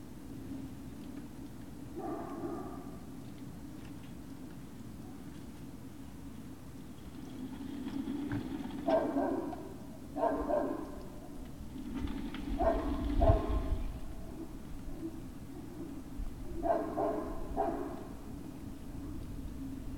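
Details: Evening of 19 February 2019 with Great Dane puppies at Puppy Hill. Several short yelping bursts, some doubled in quick pairs, are scattered across twenty seconds above a continuous low droning hum.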